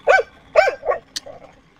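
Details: Xiao Mi, a pet dog, happy with the day's weather: three quick barks in the first second, then a short sharp click and a faint trailing yelp.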